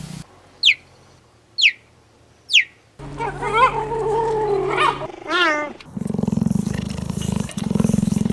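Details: Cheetah making three sharp descending chirps about a second apart, then a drawn-out wavering moan and a quavering call, followed by steady rhythmic low purring with a faint hum.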